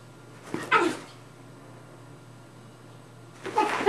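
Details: Rat Terrier and Maltese/Yorkie mix at play indoors; one short gruff bark near the start, a long quiet pause with steady low hum, then another bark cut off at the end.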